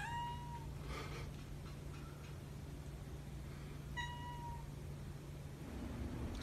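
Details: Calico polydactyl cat meowing twice: a clear, slightly falling meow at the start and a similar one about four seconds later, over a steady low hum.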